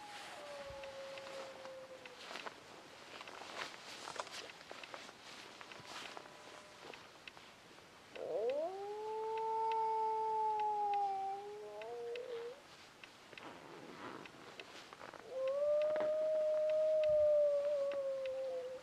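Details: A wild dog howls from a ridge near camp at 2am on a -3 degree July night, in long, smooth, mournful notes that rise, hold and slowly fall, coming within about 300 metres of camp.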